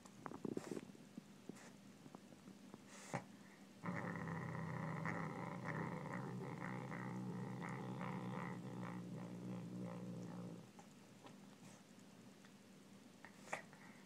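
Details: Savannah cat growling while eating pork: a sustained low rumbling growl from about four to ten and a half seconds, with faint clicks and knocks before and after.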